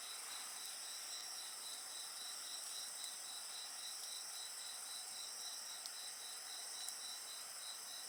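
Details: Insects chirr steadily next to a bonfire, with rapid beaded pulses in the trill under a sustained high whine. A few isolated crackles from the flames punctuate the chorus.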